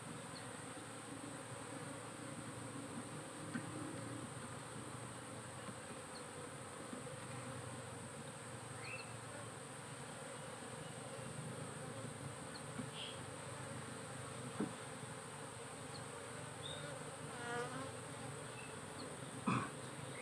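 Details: Through a beekeeper's frame inspection, a kept honey bee hive hums in a steady low drone, broken by a few scraping knocks and brief rattling handling noises near the end.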